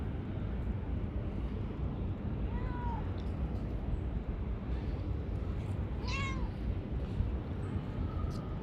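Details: Talkative, affectionate female calico cat living under a workplace, shy at first, gives two clear arching meows about three seconds apart over a steady low rumble of background noise.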